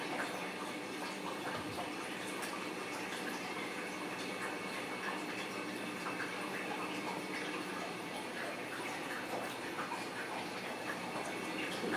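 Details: Steady gushing water fills a small room throughout, like a tap or bath being filled, with no animal voice.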